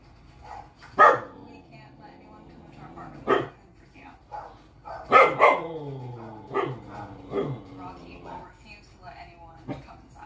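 A Corgi puppy gives sharp, high barks a few seconds apart, with television voices in the background.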